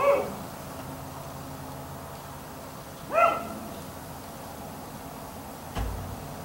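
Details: Black Labrador retriever left outside in a neighbour's yard late at night, until 1am: two short, sharp barks about three seconds apart, fairly distant, over a steady low background hum, with a dull thump near the end.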